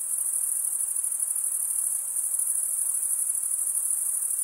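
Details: Crickets chirp in a constant high, rapidly pulsing stream with no gaps and no other sounds.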